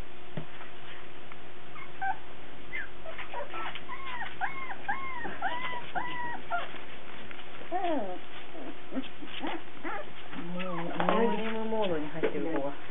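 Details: Cardigan Welsh Corgi puppies indoors, recorded 17 March 2008, giving a run of high arched whimpers and yips in a steady series, then lower wavering whines near the end, with a faint steady hum throughout.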